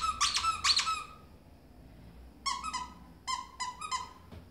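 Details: Ferret leaping playfully like a dog indoors, giving two loud squeaks, a pause, then a quicker cluster of sharper squeaks near the end.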